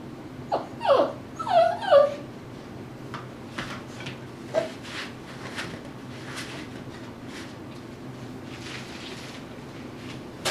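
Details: Tibetan Terrier puppy Dhali, eight weeks old, playing indoors in his x-pen during agility conditioning, gives three quick high whimpering yelps early on, then falls quiet apart from scattered clicks and soft toy knocks.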